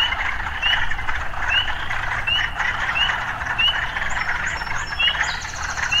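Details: Frogs in an urban setting: a dense, steady chorus of trilling with short rising whistled notes repeated about every second, plus a faint high chirping near the end.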